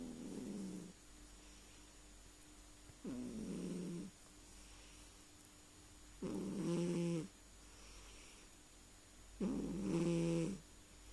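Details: Domestic cat asleep and snoring, four rasping breaths spaced about three seconds apart, later ones louder with a nasal, tonal whistle in them, against a quiet room with a thin background hum.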